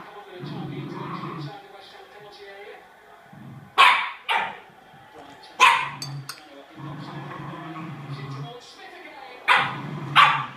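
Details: Sealyham Terrier giving sharp, loud barks in pairs at intervals of about two seconds, between stretches of low growling and a person talking.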